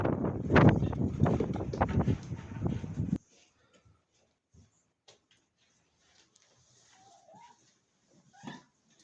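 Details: Mother cat guarding her very small kitten, kept in a cage: a loud, harsh, low rumbling growl for about three seconds. Quiet follows, broken by a few faint rising mews and soft clicks.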